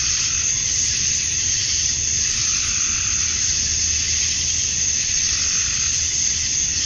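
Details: Dusk in Georgia, USA, on a summer night: male cicadas call for females in a continuous high sizzling drone with mild rhythmic swells and a soft low-pitched hum below.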